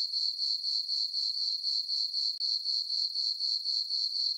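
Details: Crickets chirping on a peaceful summer night in a meadow on a farm under a full moon: a steady, high, ringing trill pulsing about four times a second without pause, with no other sounds.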